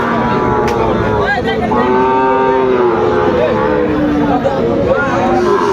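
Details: Sahiwal bull calves and other cattle at the opening of the Aftabganj market in Dinajpur on 2 September. Long, level moos sound around the middle, then shorter bellows. Constant market crowd noise and men haggling continue underneath.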